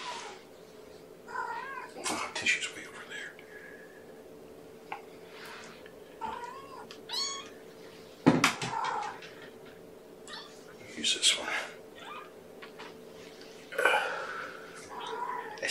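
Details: Young kittens from Gamora's five-kitten Infinity litter, born April 14, at breakfast on 2018-05-07 indoors. Repeated high, thin kitten meows, some rising and falling, mixed with soft handling noises and scattered clicks.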